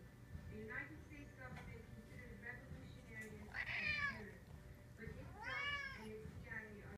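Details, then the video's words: Cisco and JJ, two pet cats, trading meows indoors: a few soft calls then two loud, wavering, arched meows near the middle and end, with talk in the background. "Cisco and JJ sing"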